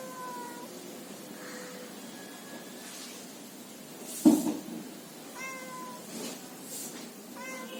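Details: Domestic cat meowing indoors: several short, thin meows with stacked tones near 0:00, 5.3 and 7.7 seconds, plus a brief louder bump mid-clip over low room hiss.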